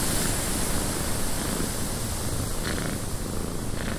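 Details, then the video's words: Domestic cat purring inside a windy cabin: a steady, dense low rumble without clear breaks, blended with a constant broad hiss of wind. "Cat Purring in a Windy Cabin"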